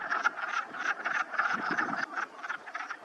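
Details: A spring-morning chorus of Wood Frogs (Lithobates sylvaticus) in a pond in the Whitemud Creek valley, many callers giving short, hoarse, duck-like clucks, several each second and overlapping.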